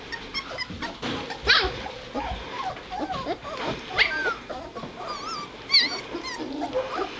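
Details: White Shepherd puppies, a litter two and a half weeks old, starting to get around; scattered thin whimpers and squeaky yips, some wavering, over shuffling and scraping noise.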